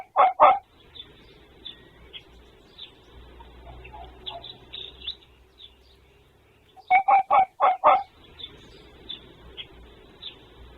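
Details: A male red fox gives short runs of sharp, hoarse barks, three then five in quick succession, and another fox responds; on 26 February 2024, a call thought to be territorial.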